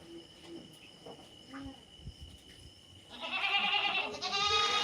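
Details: Native country goat bleating: after three quiet seconds with faint background sounds, a loud, quavering, vibrato-laden bleat bursts in and holds for over a second, then a second wavering bleat follows straight after.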